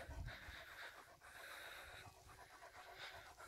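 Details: German Shepherd named Major panting at dinnertime on a hot day of about 30 degrees in the shade, not hungry but wanting to play; steady breathy rasping with soft rhythmic pulses under a faint hiss.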